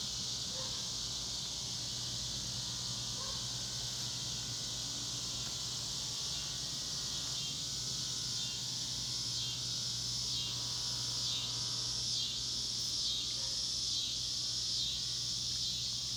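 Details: Loud cicada chorus from the Ozarks of North West Arkansas, a continuous shrill buzzing wall of sound; in the second half, rapidly repeated pulsing notes ride on top of the steady drone.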